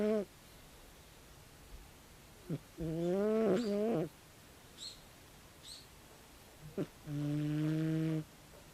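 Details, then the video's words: Tabi, a 16-year-old calico cat, snores heavily in sleep. Humming, buzzy breaths about a second long repeat every few seconds, some wavering up and down in pitch. Soft clicks and faint high squeaks fall between them against quiet indoor background. "タビ 猫のいびき"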